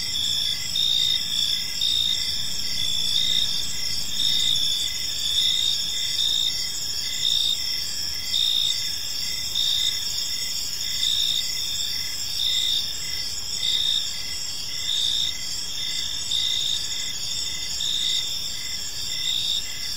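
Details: Crickets in a peaceful park on an evening, a dense chorus of high, steady pulsed chirps layered in several bands, trilling continuously with slight swells, over a faint low background rumble.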